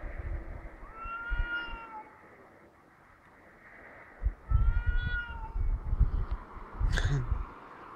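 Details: Two cats heard outside in Heerenveen, Netherlands, exchanging baby-like crying calls: two wavering wails near one and five seconds, accompanied by low rumbling thumps and handling noise, plus a sharp click near seven seconds.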